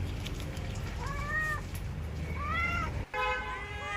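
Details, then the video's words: Cat meowing in a bamboo tree, calling while looking for food; two faint drawn-out rising-falling meows and a third brief one, mostly masked by a constant low engine-like hum. "The sound of a cat meowing in a bamboo tree, calling"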